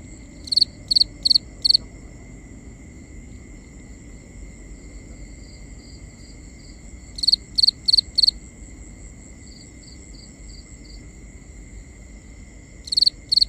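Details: Cricket at night giving bursts of four loud, shrill chirps, the groups separated by several seconds of near quiet, with fainter softer chirping from another cricket in the gaps and a steady background hum.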